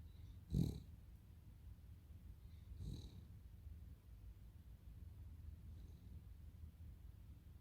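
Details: Sleeping Cavalier King Charles Spaniel Totoro gives a low, rumbling snore, with one sharp snort early on and a second, gentler breath a couple of seconds later over a constant faint drone.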